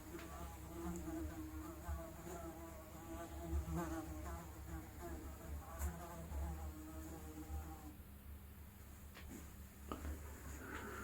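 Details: Unprocessed analog recording of a fly's buzzing: a low humming drone with a rich stack of overtones that rise and fall in wavy pitch for about eight seconds, then thins out, with occasional sharp clicks.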